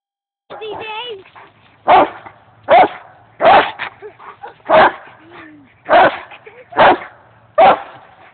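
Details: A dog on park play equipment barks in loud, sharp single barks roughly every second, about eight in all, with a person talking between the barks.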